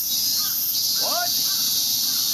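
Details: Summer cicadas along a path in Ueno Park, Tokyo, keep up a steady shrill buzzing wall of sound, while a crow's short caw and a man's speech cut in briefly.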